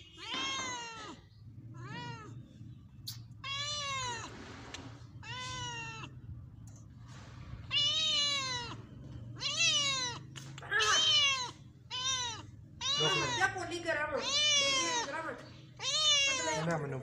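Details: House cat drinking milk and eating bread, meowing over and over, about twelve short arched meows rising then falling, coming roughly every second or two and growing louder and more insistent toward the end.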